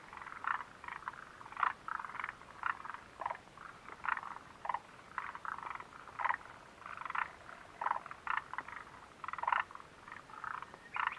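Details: Frog chorus heard at the Mitsuishi refuge hut on 29 June 2013, a busy stretch of rattling, creaky croaks from many animals, bursts crowding together then thinning briefly before resuming throughout.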